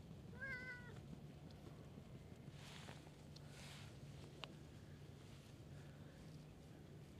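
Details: Stray cat in a park, approaching to be petted: one short, clear rising-then-level meow near the start, followed by a steady low hum and faint rustling.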